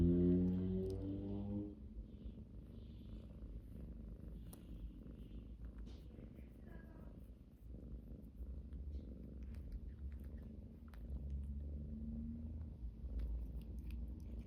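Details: Domestic cat purring: a steady, deep, rumbling low hum continuing throughout, preceded in the first two seconds by brief tonal, music-like notes, with faint clicks and rustles indoors.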